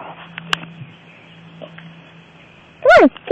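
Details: A female cat that likes to roll in sand and get dirty gives one short harmonic meow that rises then falls, near the end, after a quiet stretch with faint clicks and taps.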